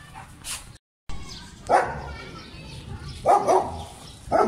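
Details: German Shepherd dog playing in Pakistan, giving a few loud separate barks with pauses between them, with a brief gap of silence early on and soft background noise.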